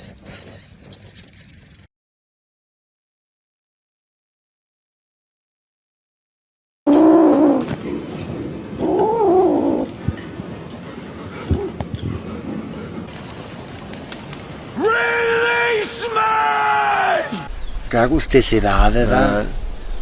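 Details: Domestic cat letting out drawn-out, wavering yowls rich in harmonics: a rising and falling wail early on, then a longer, steadier howl followed by short quavering cries, over indoor background noise and clatter.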